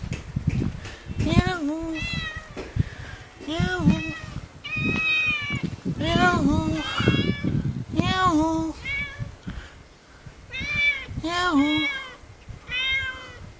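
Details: Cat met in a village alley in Jeonju, North Jeolla Province, Korea, hungry and asking for food; about eight loud, rising-and-falling meows in a steady series, overlapping a man's speech and street rustle.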